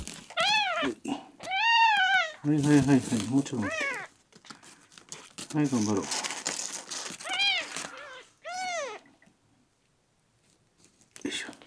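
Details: Miel, a red tabby-and-white male kitten rescued at one day old, on rescue day ten, dehydrated, constipated and refusing milk, gives high arching meows in short bursts with pauses between, mixed with a human voice and some crinkling indoors.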